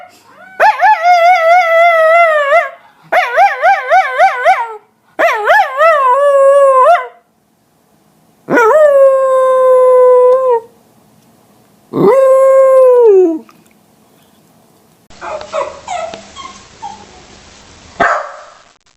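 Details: West Highland White Terrier giving a string of howls, the first ones fast and warbling, later ones long and steady with a falling end, followed by quieter rustling noise.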